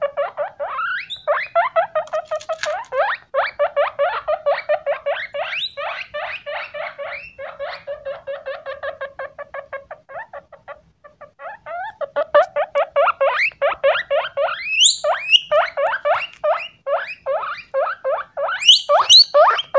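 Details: Male pet guinea pig eating cucumber, giving rapid repeated squeaky wheeks, about two per second, with brief pauses; louder, sharply rising whistled squeals toward the end.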